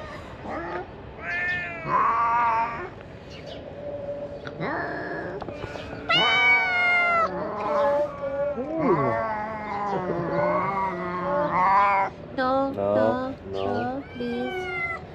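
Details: A big litter of ginger stray kittens pressing toward food, a dense chorus of overlapping, loud, pleading meows, some long and quavering, filling the whole stretch with hardly a pause.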